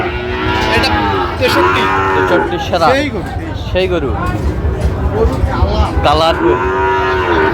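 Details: Market scene in Sylhet, Bangladesh, where Sahiwal bull calves are being bought in September 2025; a chorus of moos overlap almost continuously, bending up and down, over a steady murmur of people.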